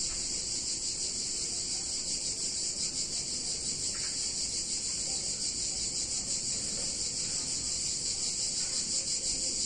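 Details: A continuous high, sizzling buzz of cicadas fills a hot summer day in a picturesque town in Italy, evenly loud throughout, with a brief faint knock near the middle.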